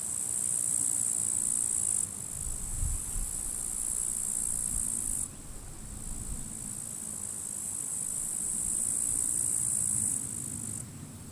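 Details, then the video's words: Grasshoppers fighting in withered grass at a forest edge on a sunny, windy end-of-July summer day; a steady, very high, hissing buzz that drops and resumes in abrupt steps, over low rumbling wind gusts. "Wind noise and grasshoppers crackling"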